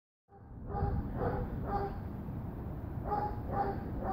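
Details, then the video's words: Dog barking in a steady series of short, sharp barks about every half second, with a break in the middle, over a loud low rumbling background. "Bark bark bark"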